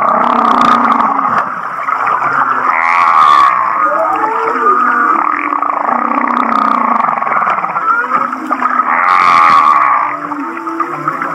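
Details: Humpback whale near Kihei, Maui, producing song that sounds like laughter: two bursts of fast pulsed chuckling notes several seconds apart over continuous wavering mid-pitched tones and low groans.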